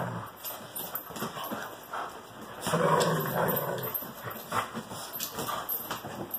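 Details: Playful greyhounds with a French Bulldog, a rumbling growl swelling midway through the romp, accompanied by scrabbling claws, thuds and bursts of noisy movement.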